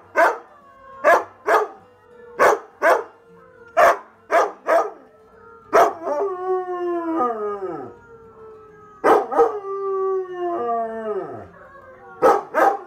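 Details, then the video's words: Onyx the husky reacts in a try-not-to-howl challenge with a rapid run of crisp barks, then two long howls that slide downward in pitch, separated by more barks. "TRY NOT TO HOWL CHALLENGE - Husky’s cute and funny reactions"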